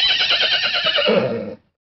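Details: Horses in a pasture; one loud, shaky whinny lasting about one and a half seconds, wavering and falling in pitch before stopping abruptly.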